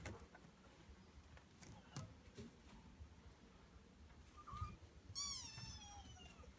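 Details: Male Norwegian Forest Cat named Maria: a faint short chirp, then one clearer, high, falling meow near the end, over a low rumbling background.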